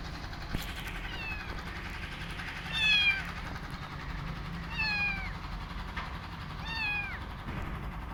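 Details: Young rescue kitten meowing while eating, said to be missing its mother; three clear rising-then-falling meows near three, five and seven seconds over a steady low background hum.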